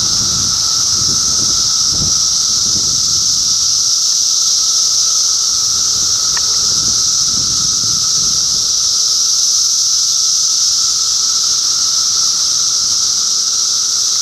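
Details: Cicadas recorded in Middlesex County, New Jersey in June 2013 keep up a continuous shrill, hissing drone over a low steady hum. Soft low rumbles come and go in the background during the first seconds.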